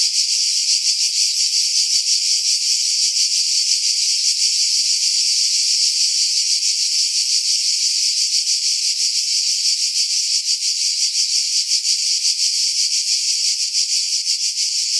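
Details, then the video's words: Continuous shrill cicada song from pine trees 50 m above the sea, Pefkos Bay, Skiros Island, Greece, July 2018; an even, hissing high buzz that barely varies, low sounds removed by wind filtering. "Cicada Sounds, July 2018 Skiros, Greece"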